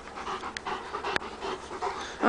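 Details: Dog panting during a rabbit chase: quick, breathy huffs at roughly three per second, steady and unvoiced, with a sharp click near the middle and a louder sound rising at the end.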